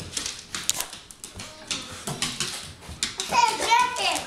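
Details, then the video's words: Mishka, a talking Siberian husky, lets out a short, wavering, howl-like vocal run near the end. Before it, a person speaks to her. "Mishka the Talking Husky"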